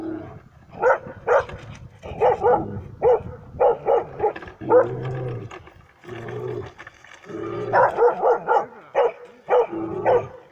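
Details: Dog barking at a mechanical bear during a bear-reaction test in Kittilä, Finland, 13 July 2019; loud, rapid barks in bursts, some low growly tones between, barking clusters with short pauses.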